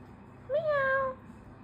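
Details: Female domestic cat in Leicester, meowing after her owners call her and say meow to her. One clear, drawn-out meow rises slightly and then slowly falls, lasting under a second in a quiet room.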